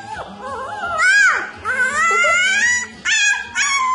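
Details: Puppies howling: drawn-out, wavering tonal howls that rise and bend, several overlapping, broken by short pauses, with a faint low hum underneath.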